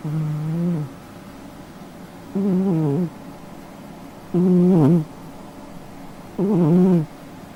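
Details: A sleeping cat snores in low, droning, slightly wavering breaths, each under a second long and repeated about every two seconds, with quiet gaps between.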